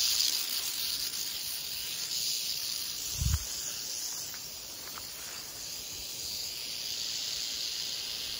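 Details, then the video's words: Canebrake rattlesnake (Crotalus horridus), roughly four feet long, found on a dirt road in North America at the end of the herping season. It gives a steady, dry, high-pitched buzzing rattle, with a faint thump near the middle and a thin tonal whine above. "Rattlesnake ASMR"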